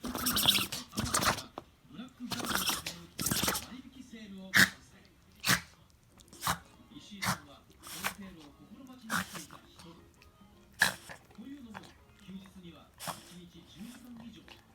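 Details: Xiaotian, a white Shiba Inu, keeps sneezing after too much nosework and sniffing natto indoors: a quick cluster of forceful snorts early on, then single short sneezes every second or two while people talk softly.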